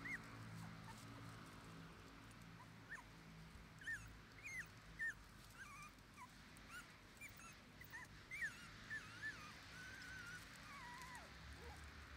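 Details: Red male Shiba Inu puppy, born 24 January 2021 and 21 days old, an only pup starting outdoor play with its mother: a run of thin, rising-and-falling whines and yips over steady low background noise.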